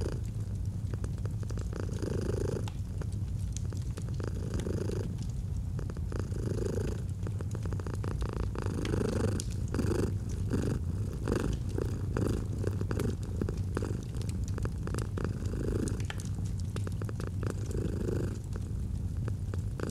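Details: Fireside purring of a domestic cat, cozy autumn setting: constant low vibrating rumble with rhythmic breath surges about every one and a half seconds across twenty seconds, dotted with sharp fire crackles and pops.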